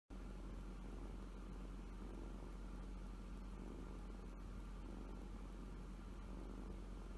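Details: Kitten purring with contentment while asleep, showing the pad of its left front paw; a steady, low, pulsing rumble runs unbroken throughout, with a faint hum and no other clear sounds.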